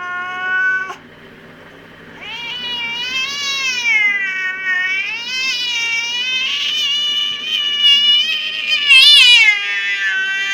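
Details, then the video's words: Garden cat going berserk at a magpie and a strange cat, a brief cry, a pause, then a long loud undulating caterwaul with tremulous wobbles and a sharp shrill peak near the end. "Angry cat gets mad with a Magpie and another Cat"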